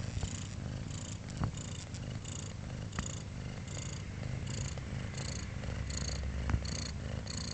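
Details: Four-day-old kittens purring indoors, a steady low rumbling throb with soft rhythmic pulses roughly every half second, faint high squeaks and small clicks scattered through the recording.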